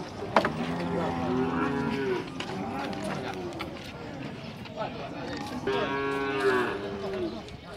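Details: Nelore cattle at a livestock fair corral in Tabira, Pernambuco, Brazil, mooing in drawn-out, rich harmonic calls, one at the start and another near six seconds, with background chatter and yard noise.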